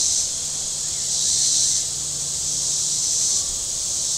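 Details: Cicadas calling from the shore of Table Rock Lake in southern Missouri on a very warm Saturday: a steady high buzzing drone that swells and fades in slow pulses, with a faint low engine hum from boats beneath.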